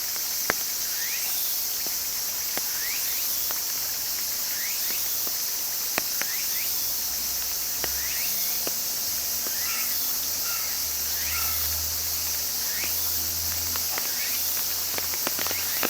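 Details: Cicada chorus as a constant high sizzling buzz, while a bird repeats quick upward-sweeping chirps about every second and low rumbles pass underneath.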